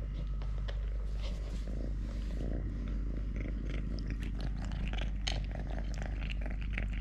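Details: Close purring of Totoshka, a pet cat living normally on three legs, recorded during meals, play, walks and hand-wrestling; continuous deep purr, with brief rustling and tapping noises over the top.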